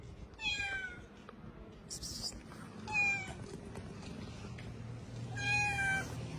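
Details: Kitten or street cat with its mother and littermates giving three high, clear meows about two seconds apart, each a drawn-out harmonic cry, with a low hum underneath and a short burst of noise between calls.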